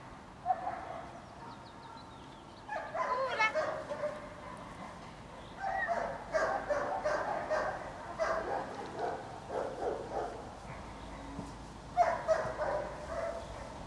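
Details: Female shelter dog at Loomade Hoiupaik, said to look like a small German Shepherd, barks in loud harsh bursts near 3, 6, 8.5 and 12 seconds, with quieter stretches and background voices between the bursts.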